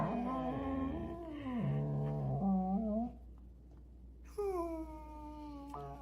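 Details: Dog from a compilation of funny pet moments, giving drawn-out, moaning whine-like tones that bend up and down in pitch over about three seconds, then a pause and another long wavering tone, over a steady low indoor hum.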